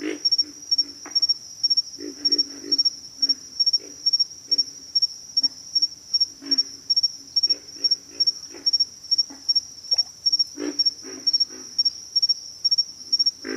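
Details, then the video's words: Repeated rough grunting from pig frogs, short low croaks tumbling in clusters roughly twice a second, against a persistent thin insect trill in the background. "pig frogs"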